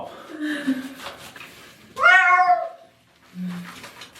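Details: A cat protesting while being washed gives one loud, harmonic, falling meow in the middle, surrounded by running water, splashing and a woman's soothing Korean speech.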